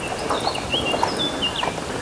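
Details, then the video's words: A bat gives thin, high squeaks and brief whistled chirps, scattered unevenly over a steady outdoor hiss, heard among fallen leaves at a Dhaka park during an urban bird race. "এটা বাদুরের ডাক।"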